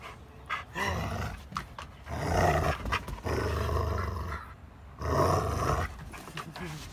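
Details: Old English Sheepdog growling during tug playtime, rough low rumbling growls in uneven bursts of one to two seconds, with a man's voice urging the dog on.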